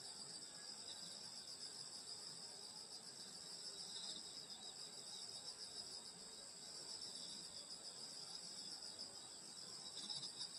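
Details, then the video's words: Rural summer night with insects calling near a grandmother's house in Korea, a layered high-pitched shimmering chorus of steady trills, the level swelling slightly near the end. "여름소리 풀벌레소리 시골밤소리"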